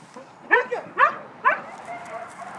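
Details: Paquera's puppies yelping: three sharp, whiny cries spaced about half a second apart, each dropping then rising in pitch, followed by a quieter murmur.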